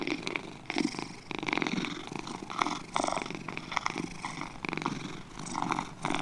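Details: Two house cats purring close up, a throaty vibrating rumble rising and falling in regular waves roughly every 0.7 to 1 second, matching slow breathing.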